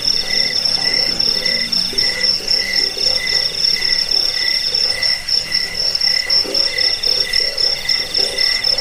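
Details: Crickets heard as a rat-repelling sleep aid, also used for training birds: an unbroken high-pitched ringing trill, with a mid-pitched tone throbbing in rapid groups of pulses and faint low croaking behind.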